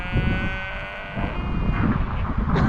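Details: Sheep in a field near the Seven Sisters cliffs by Brighton, England, giving a bleat that opens with a clear, tonal voice for under a second and then fades, over steady low wind rumble and faint talking.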